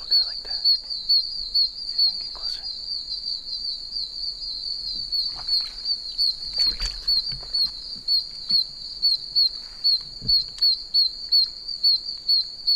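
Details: Chorus of many one-inch oak toads in puddles around a big tree in a wet wilderness. Piercing high chirps repeat rapidly and evenly, layered over a constant shrill drone, with occasional scuffing and brushing sounds.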